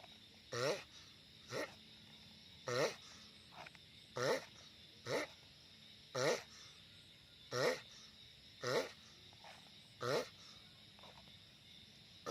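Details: Giant sulcata tortoise groaning noisily, about eleven short harmonic calls with quavering pitch repeated at uneven intervals of roughly one second, some louder than others, over a faint constant hiss.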